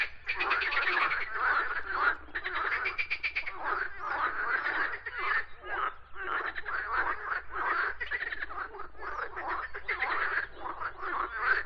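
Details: A dense chorus of croaking frogs, many voices overlapping in continuous raspy, pulsed croaks with no clear pauses.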